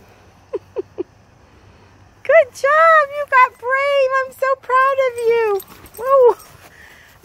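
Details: Alaskan Malamute named Tonka, a pet dog reacting to a black cat he is scared of. He gives a run of smooth, tonal, woo-like moans in short rising and falling bursts, after a few soft clicks at the start.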